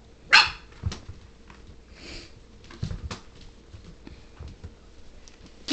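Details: Puppies, one named Bear, playing indoors; a sharp bark near the start, followed by a few softer yips and a brief whine, with scuffling and sniffing between calls.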